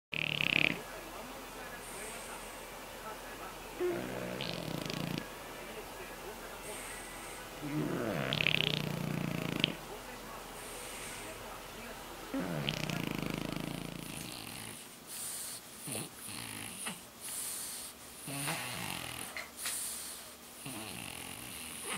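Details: A French Bulldog snores loudly while lying on its belly, rough rattling breaths about every four seconds, then shorter, more broken snoring with faint voices in the background; compares snoring before and after soft palate and nasal surgery.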